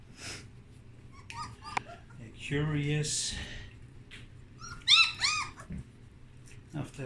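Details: Puppies exploring their surroundings indoors after the whelping box blankets were changed; short high arched whimpering squeals come in two bursts, early and again near five seconds, with a person talking between them.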